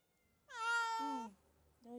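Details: Sick male black cat, 4.35 kg, off food for two days and sleeping more, about to be taken to the vet: one long, clear, harmonic-rich meow lasting under a second, then the start of a second.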